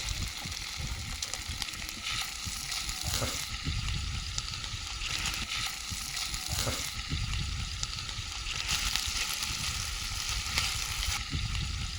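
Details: Steady sizzling and crackling of food frying outdoors, with occasional soft clinks and no clear animal calls. A low background rumble runs underneath throughout.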